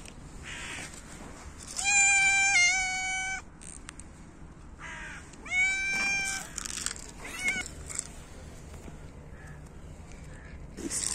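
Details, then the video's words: Hungry cats meowing loudly and competing for food in winter: two long, loud, drawn-out meows with rich harmonics, then a shorter faint one, amid rustling and a steady background hum. "Cats meow loudly and compete for food"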